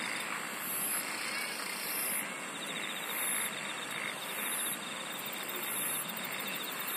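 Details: Insects singing together, layered trills: a continuous high buzz plus rhythmic pulsed bursts returning roughly every one to one and a half seconds, with softer throbbing trills lower down and no other clear sounds.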